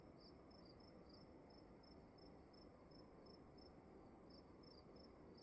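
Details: Crickets in a dark room at night: short high chirps repeated steadily about three times a second, with a second caller slightly lower in pitch joining at times, over a constant low hiss and rumble.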